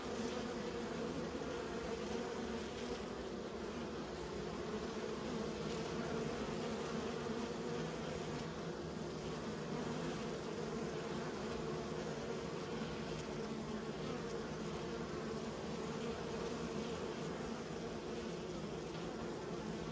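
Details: Domestic honey bees raised by a beekeeper, a constant deep buzzing drone with stacked low tones that stays level and steady from start to finish.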